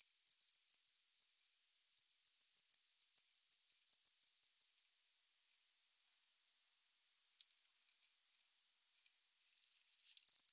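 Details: Tropical house cricket in Starnberg, Germany, November 2021: a run of high pulsed chirps lasting several seconds, a break, a longer regular series, then quiet with faint ticks before a dense burst at the close.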